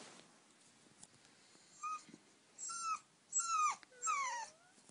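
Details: Oscar, an eight-week-old puppy wanting to sleep in the bed, whines in four high, drawn-out cries, each sliding downward and growing longer, set against a quiet room.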